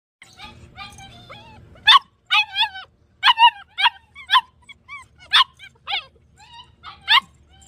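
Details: German Shepherd dog barking: after a quiet, murmuring start, a run of short, sharp, high yelping barks with ringing overtones comes about twice a second, some doubled, each bark bending down in pitch.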